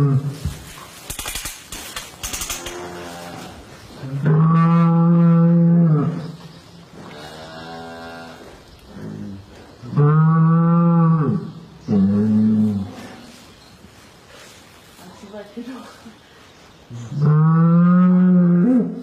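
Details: Cattle during calving in the West: three long, low, drawn-out moos with rich harmonics, each lasting one to two seconds, separated by quieter gaps, with clattering at the start and German speech in between.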